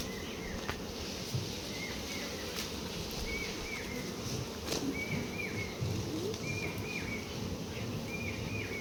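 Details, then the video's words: Honey bees humming around hives while litchi honey is collected. A continuous low drone of many insects, with a bird's short chirps repeating about every second in the background. "মৌ চাষ।। 🐝🐝🐝মৌমাছি।।"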